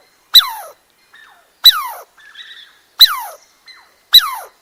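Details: Squirrel calling: four loud, whining notes that slide steeply downward, repeated roughly every 1.3 seconds, with softer short notes between them and otherwise quiet surroundings.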